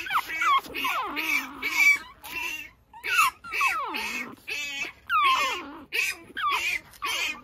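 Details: Baby Pekingese outside in the early morning, bumbling around; a run of thin, whimpering whines that swoop up and down in pitch, repeated in uneven bursts roughly every second.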